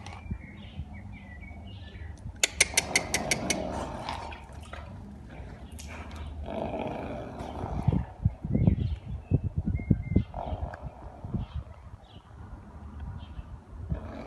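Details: Arabian horse snorting, with bursts of rapid fluttering broadband pulses near the start and again in the middle, then quieter breathy rumbles; small birds chirp faintly in the background outdoors.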